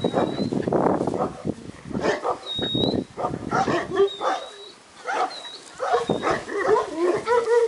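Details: Group of purebred Yugoslav Shepherd (Šarplaninac) puppies at a kennel: bursts of rough grunting yelps alternate with tonal whines, a quiet gap midway, and thin high-pitched squeaks sliding in and out.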